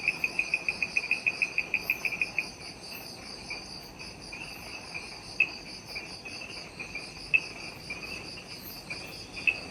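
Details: Jungle insects on Ishigaki Island, Japan, at dusk just after sunset: opens with a quick regular series of sharp high ticks, then only scattered single clicks over continuous high-pitched buzzing.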